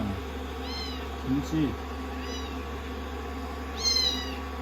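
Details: Rescued kittens resting on a lap after a shampoo and blow-dry, giving a few short, high, slightly rising mews at about one and four seconds over a steady hum of running dryer noise.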